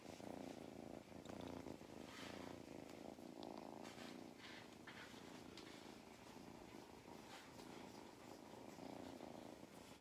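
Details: Contented purring from Mustard the cat as he gets belly rubs on a County Kilkenny farm in Ireland; a steady low throbbing purr with light rubbing and rustling sounds.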